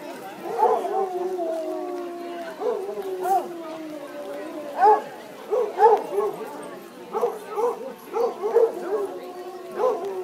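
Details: Several Basset Hounds in a best-howl contest at Legion Park, Woodburn, Oregon, on a rainy Sunday afternoon, 17 July 2011. Long, sliding, mournful howls give way to short, choppy overlapping bays.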